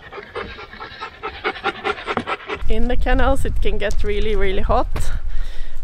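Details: Siberian Husky sled dog at a kennel on a hot summer day. Quick, rhythmic panting for the first half, then a human voice takes over with drawn-out, sing-song speech.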